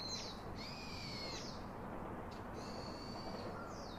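A young monkey utters long, piercing whistle-like squeals, each held steady for about a second before sliding down at the end. The baby is calling its father for comfort, over a low background rumble.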